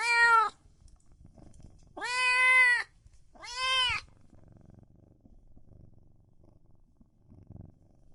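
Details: Loud meowing from cats and kittens: three strong, bright meows in the first four seconds, the middle one longest, followed by quiet with faint low rustling and soft handling noises.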